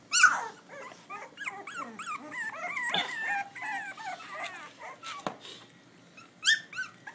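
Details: Pitbull cross x Belgian Malinois puppies from a litter of eight born May 19, 2011 in Butuan City, recorded on an iPhone: overlapping high, wavering squeaks and whimpers, rising and falling rapidly, with a sharp yelp at the start and another near the end.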